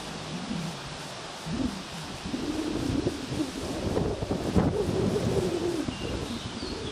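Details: A bumblebee, filmed June 27, 2011, gives a low droning buzz that wavers in pitch as it drifts near, over soft outdoor background noise.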